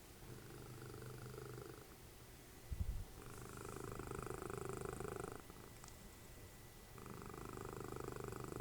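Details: Dessie, a cuddly pet cat and mother of Fritjof, snores while cuddling during TV time. Low, rasping breaths swell and fade in slow cycles about two seconds long, with a brief soft knock partway through in a quiet room.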